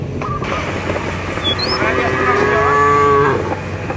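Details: Cattle at large in a village field call companions to return to the barn. A steady, level moo lasts about a second in the middle, with a rising bird whistle before it and a low rumble throughout.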